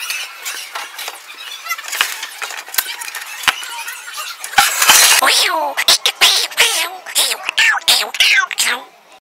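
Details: Three young kittens play-fighting with a bigger young cat in Andhra Pradesh, India, giving high squeaky squeals and yowls that grow louder and denser toward the end, with scuffling thumps and a voice heard early on.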